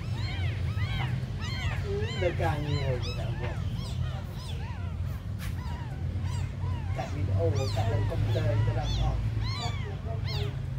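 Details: Several tiny abandoned kittens cry together: thin, high meows rising and dropping in quick succession, bursts of overlapping calls at the start and again near the end, with a quieter stretch in the middle and a deep background hum.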